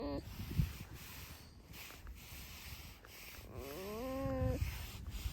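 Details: Pet red fox named Alice giving a squeaky whine: a brief note at the start, then a longer wavering harmonic squeal near four seconds over low rumbling background noise.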